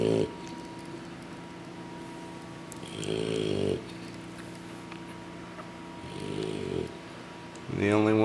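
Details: English Bulldog puppies asleep after a big meal from their mother, giving two raspy, low snoring breaths a few seconds apart over a steady faint hum, with a voice speaking at the end.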